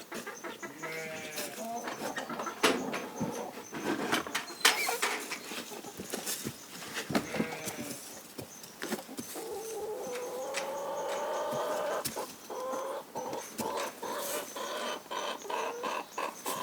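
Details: Corriedale sheep on a Canadian farm, several animals bleating while grain is handed out; quavering harmonic bleats early on and a longer drawn-out bleat midway, over sharp clattering knocks and a steady high insect drone.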